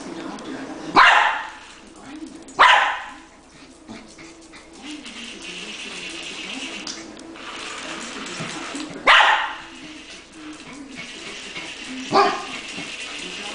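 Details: Puppy barking while playing with a remote-controlled toy spider; four sharp, loud barks land near 1, 2.6, 9 and 12 seconds, separated by quieter stretches of human talk and shuffling.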